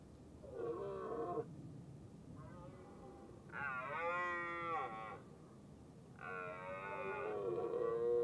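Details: During the rutting season a red deer hind cares for her large calf while a male drives them up a hill; three or four moaning, harmonic calls of one to one and a half seconds, wavering and falling in pitch, with gaps between.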